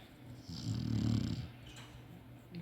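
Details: A drowsy Shar-Pei lets out one deep, grating snore that builds and fades over about a second, with a quiet room behind it.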